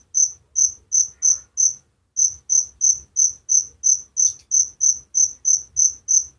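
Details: Cricket chirping at night, bright high pulses repeated about three times per second, a brief pause near the two-second mark before the rhythm resumes; quiet low hum underneath.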